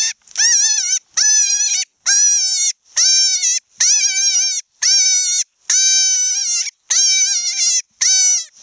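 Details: A wild cottontail rabbit screams in distress, shrill wavering cries repeated about once a second; cottontails' distress cry differs from domestic rabbits', and all rabbits were released unharmed.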